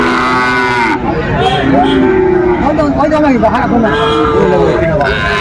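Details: Cattle lowing at a Bangladeshi livestock market in Chattogram, where a Sahiwal bull calf was on sale, 7 December 2024; several long, flat moos with slight dips in pitch, set against steady crowd noise and speech.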